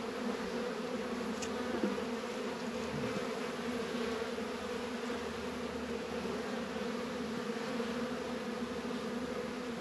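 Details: Honey bees working an apiary in northern Kentucky on a 72-degree February day, Warre and Langstroth hives; a steady dense hum with bands around 250 and 500, unbroken for the whole stretch, one faint click near two seconds.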